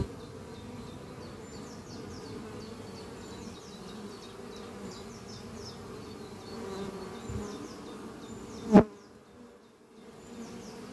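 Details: Honey bees flying at the beehive Doppio, a horizontal hive made from an old French oak chest under trees, on a spring morning. A steady low droning hum runs throughout. Bright chirping bird trills sound above, and a sharp knock comes near the end before the hum quietens.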